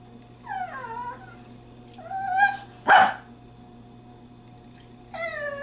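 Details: Female dog, indoors at a friend's house, vocalizing to tell her owner she wants to go home. She gives brief descending whimpers, then a sharp, sudden bark-like burst, then one more rising whine at the close.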